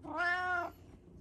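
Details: Kitten playing with a gentle older sister cat indoors in Japan: a single clear meow about half a second long, harmonic and slightly rising then level, with a soft voice speaking nearby.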